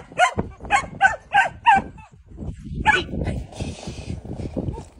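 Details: A Malinois puppy at bitework training yelps out a quick run of five sharp, ringing barks, then pauses. Later come one more bark, rustling and scuffling, and softer muffled low sounds.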